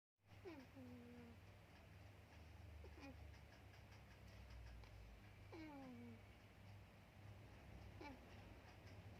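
A sleeping kitten snores with thin, whistled, falling squeaks about every two and a half seconds.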